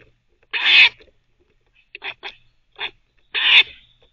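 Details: A teething squirrel kept as a pet barks while chewing: two long rasping barks framing a run of short clipped chirps and chatters in between.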